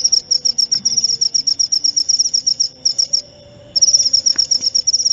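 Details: High, rapid cricket chirps in an even pulsing train, a half-second gap around the middle, then the chirping resumes just as fast and shrill over a quiet low background.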